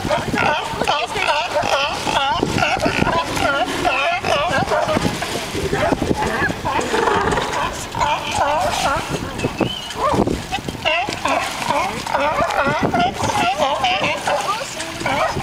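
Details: A crowd of sea lions singing and fighting, with many overlapping wavering calls that repeatedly swoop up and down, mixed with rough barks in an unbroken noisy chorus, plus background water noise.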